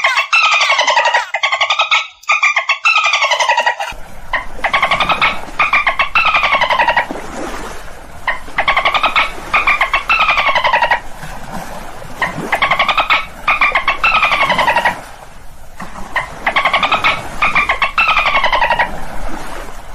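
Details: Dolphin sounds: a short, bright, high-cut opening passage, then repeated buzzy, pulsed squawks whose harmonic tones rise and fall, in bursts of one to two seconds separated by brief pauses.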